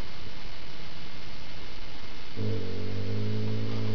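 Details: Rhade, a critically ill dog, growls while playing tug with his little companion Rommy; after about two seconds of low background hiss, a deep, steady, rumbling growl with stacked harmonics starts and holds to the end.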